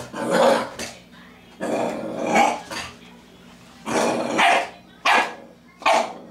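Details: Nine-week-old female Jack Rat Terrier puppy seeing herself in a mirror for the first time, giving her first barks: growling, rough yaps in separate bursts roughly every second or two, a voice speaking between them.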